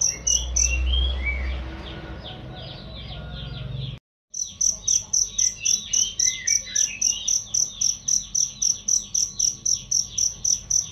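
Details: Cricket chirps as a training sound for songbirds: high pulses at first over low rumbling noise and twittering birds, a brief silence, then a steady run of sharp chirps about four per second.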